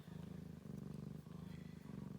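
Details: Ragdoll mother cat with her baby kittens as they nurse. A deep, continuous purr throbs in regular waves, each breath-cycle lasting roughly half a second, with faint room hum underneath.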